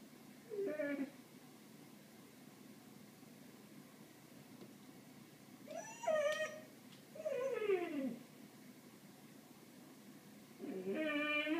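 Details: Ralph, a pet cat, meows while watching birds indoors: four separate drawn-out meows, some falling in pitch, spaced irregularly over several seconds against a quiet room background.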